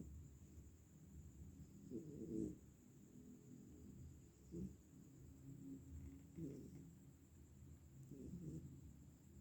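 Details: Sleeping pet cat, apparently exhausted, snoring softly: low, rough rumbling breaths swelling in short bursts roughly every two seconds over a quiet background, with a faint steady high-pitched electrical hum throughout.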